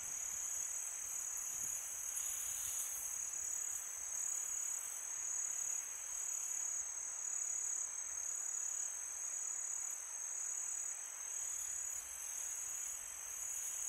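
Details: A peaceful summer night of crickets: an even, high shrill trill runs throughout with slight rhythmic swells, while a gust of wind briefly brightens the hiss early on.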